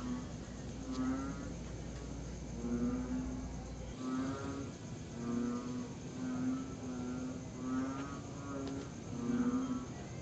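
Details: Tree frogs calling at night in September 2021, during a pause in long, steady rain. Short pulsed croaks repeat roughly every second over a steady background hiss.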